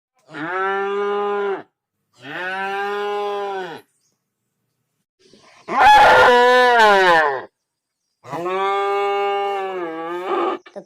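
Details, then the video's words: Cow mooing: four long, steady, harmonic-rich moos of one to two seconds each, separated by short silences. The third moo is louder, rougher and more strained, and the last one wavers toward its end. "COW MOO SOUND effects"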